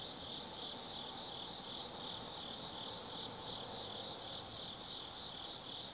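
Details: Forest insects calling on an autumn night at Tsukimi no Mori, Nanno-cho, Kaizu, Gifu, Japan: rapid, beating high trills blending into one steady shimmering chorus, with brief brighter chirps on top and a faint low hum beneath.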